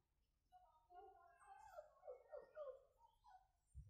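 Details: Pomeranian puppy in Gurugram, indoors, giving a run of high, wavering whimpers that rise and fall in short overlapping bursts, with a soft thump at the end.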